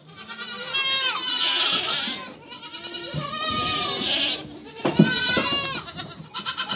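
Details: Mother goat and her kids calling: an almost unbroken series of high, shaky bleats overlapping one another, with a few lower calls and a thud near the end.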